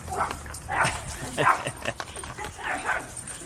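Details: Puppies out on a street walk bark at a passer-by: several sharp, broadband yaps at irregular intervals, mixed with a person's voice and outdoor noise.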